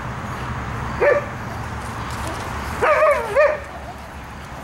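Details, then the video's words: Pekingese dogs from a home breeder in Akron, Ohio, where puppies are raised indoors: a brief high whine, then a longer wavering yelping whine with rising and falling pitch, over a steady background hum. "Pekingese dogs"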